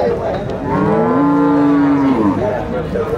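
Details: Cattle at a livestock market in Nueva Guadalupe, El Salvador: one long, loud, steady moo with a slight rise and fall, with faint music in the background.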